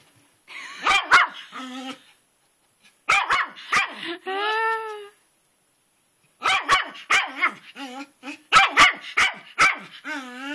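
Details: Male pet dog named Twitch barking at a rock in a flower bed in the rain, running in circles around it, outdoors. Bursts of sharp barks in quick clusters, then a drawn-out whining yelp, more rapid barking, with people talking over him.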